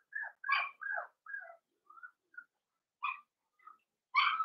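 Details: Blenheim Cavalier King Charles Spaniel puppies, a litter of five born at New Year in a home puppy pen, give short high squeaky whines and squeals, some rising or falling, in quick bursts separated by brief silences, ending in a louder cry.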